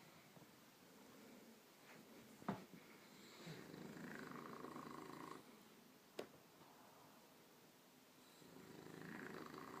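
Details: Sleeping bulldog snoring softly indoors, low noisy breaths rising and falling over several seconds, with two sharp clicks or bumps in between.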